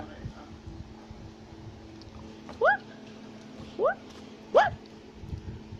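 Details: A tufted (black-capped) capuchin monkey climbing a tree in South America gives three short, sharply rising, squeaky whistled calls over a low steady hum.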